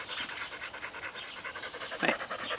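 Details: Australian Shepherd adopted at one and a half years old, aggressive toward other dogs and said to have bitten two dogs through a fence, panting during a training consultation: quick breathy bursts in a steady rhythm, with a louder huff near the end.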